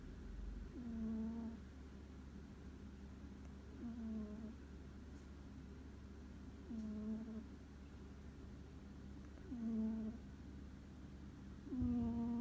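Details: A sleeping house cat snores clearly, five short buzzing-hum snores repeated roughly every two to three seconds, each dipping slightly then leveling, against a quiet indoor background with low electrical hum.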